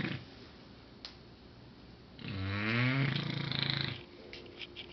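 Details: A female English Bulldog snores very loudly with a deep, rattling, fluttering breath in a quiet room.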